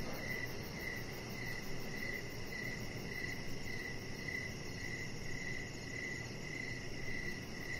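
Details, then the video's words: Outdoor crickets in the evening keep up a regular series of high, bright chirps about every half second, with a soft steady hiss and low hum underneath. "3 Hours Of Chihuahua Puppy Laying On Deck with Cricket Sounds"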